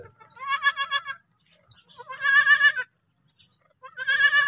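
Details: Baby goats bleating: three high, nasal, wavering bleats, each lasting under a second and separated by short silent pauses, with no other sounds in the background.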